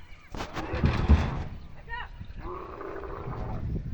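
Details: Camel crying loudly, a deep rough roar with rich harmonics that surges, then breaks into gurgling groans; a second drawn-out moaning bellow follows after a brief pause.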